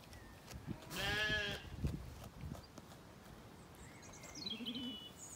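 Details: Zwartbles lamb in an orchard on an Irish farm in County Kilkenny, evening after weaning; one clear wavering bleat followed by a soft distant bleat and faint birdsong.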